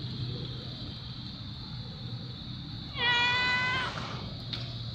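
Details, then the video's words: A fluffy white domestic cat, said to be hungry, gives one harmonic meow of under a second near the three-second mark against steady low background hum. "Fluffy white meowing"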